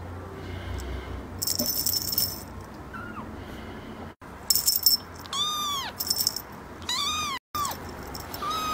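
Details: Kitten giving two or three clear rising-then-falling meows in the second half, with sharp rattling, clicking bursts and brief cuts in the sound earlier on.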